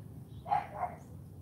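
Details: Female AKC Cane Corso puppy CHARME in a morning obedience session: a pair of quick rough barks close together, the second softer, over a low steady background rumble.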